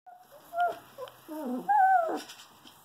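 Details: Two-week-old female wolf hybrid dog puppy nicknamed Feelings, very emotional for a little pup, giving a run of high whimpers and squeaky whines, some rising then falling, with a longer drawn-out whine near the end.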